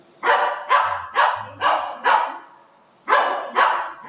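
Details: Pet dog Buzo, angry with its owner indoors, lets out a run of five sharp, rough barks, pauses briefly, then adds two more in the same steady rhythm.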